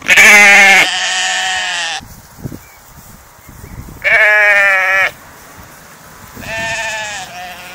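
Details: Sheep grazing in a field give loud, harmonic bleats: a long two-second wavering cry, then two shorter ones near the middle and end. Quiet gaps in between hold faint rustling and soft thumps.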